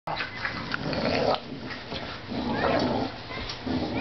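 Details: Play growls during tug-of-war between a 5-month-old blue pit bull and a 2-year-old, 70-pound English bulldog: rough, rumbling growls come in surges with scuffling noise between them.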